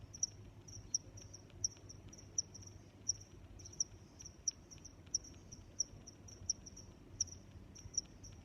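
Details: A cricket keeps up a bright, high chirp, sharp accents returning about every seven-tenths of a second over a continuous thin trill, with a soft low rumble underneath.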